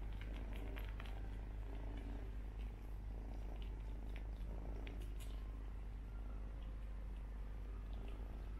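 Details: Two Persian kittens suckling from their brother as though he were their mother, giving a steady, low, continuous purring rumble with faint rustling clicks above it indoors.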